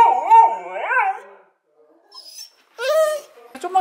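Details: Female Border Collie begging at the table gives a drawn-out wavering whine that swoops up and down twice, then falls quiet before a person's voice and a brief clatter.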